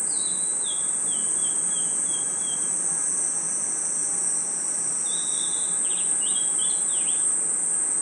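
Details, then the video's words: Night forest crickets and insects keep up a continuous high-pitched ringing trill. A run of short descending whistled notes opens the recording, and a cluster of sharper chirps follows later. "Crickets & Insects Chirping Sounds"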